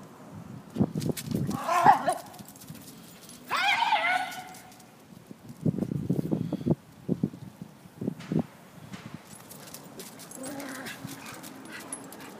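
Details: Maltipoo Harley playing bravely with Bull Mastiff Lola while Otis tries to join in; two harsh, bright yelping barks near two and four seconds, then bursts of low rough growling and scuffling, with short barks toward the end.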